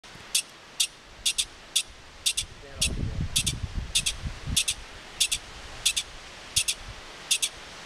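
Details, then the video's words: A California pika in the Desolation Wilderness gives short, sharp, high squeaks in an uneven series about twice a second, a call in the pikas' own regional dialect. "California Pika Call"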